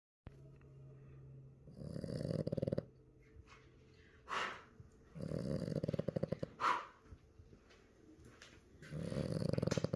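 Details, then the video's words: French Bulldog puppy asleep, snoring in three low, rough, rumbling bursts about three to four seconds apart. Quiet breathing and faint noises fill the gaps. "Baby Frenchie snores"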